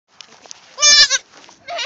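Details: Newborn goat kid about four hours old, calling for its mother and unhappy: one loud, harsh, quavering bleat in the middle, with fainter bleats before and a rising one at the end.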